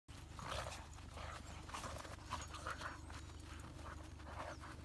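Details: Hokkaido dog on its first dog-run outing at New Year, playing (not fighting) with a 13-year-old female dog; rough breathy growls and huffs recur through the clip over a steady low rumble.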